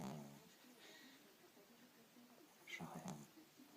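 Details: Tired dog sleeping and dreaming at home, snoring loudly: a low snore trailing off at the start, quiet breathing, then another rough, buzzy snore burst near the end.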